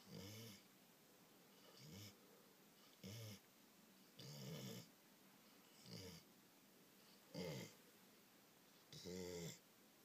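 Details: English Springer Spaniel asleep after a day of heavy eating and play with children, snoring in a quiet room: seven breathy, rattling snores spaced one to two seconds apart, mixing low grumbling with hissy wheeze.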